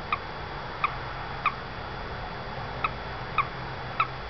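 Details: A little male toad stranded in a window well at a house peeps six times in just over four seconds, short clear chirps with bright overtones, evenly clustered with one brief pause midway, over quiet steady hiss.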